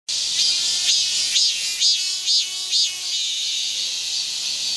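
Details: Cicadas fill the air with a dense, hissing high buzz, overlaid by brighter pulsing swells that recur about every half second.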